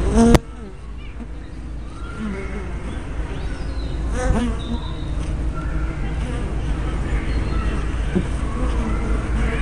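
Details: Honey bees at a hive entrance, filmed on 24 May 2012 with a small spy camera and fisheye lens: a steady low droning hum with the rising and falling whine of single bees flying close past.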